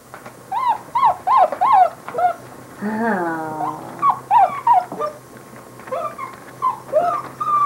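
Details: Basset Hound puppies let out short squeaky whimpers in repeated bursts, with one longer falling whine in the middle and a low steady hum underneath.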